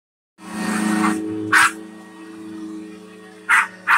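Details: A female Australian Shepherd attacking a vacuum cleaner gives short, sharp yelps of excitement over the steady droning hum of the running vacuum.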